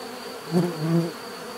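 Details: Low bee buzz that swells twice as single bees pass close, a deeper droning hum over the steady background swarm.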